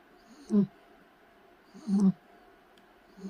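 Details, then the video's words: Sleeping Shih Tzu puppy snoring: low, rough snorts rise and fall about every one and a half seconds, each a short burst with a brief nasal rasp, separated by quiet breathing pauses; a faint murmured voice follows. "코골이 시츄강아지"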